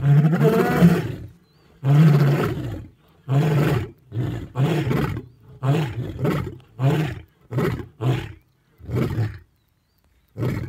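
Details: Three male lions roar together to defend their territory in Africa, deep moaning roars that fade into short grunts.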